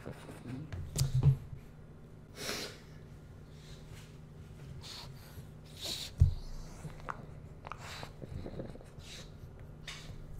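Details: Pug puppy named Bowser indoors during a food taste test, giving scattered short snorting sniffs and breathy bursts, a sharp snort near six seconds, with quiet room hum between.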